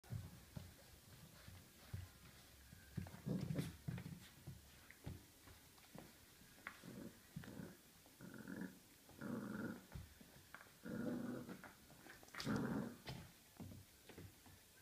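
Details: Mia, an 8-week-old Border Collie and Labrador cross puppy, recorded 15 November 2014, gives low, rumbling growls in short irregular bursts with pauses between them. Some bursts carry soft panting.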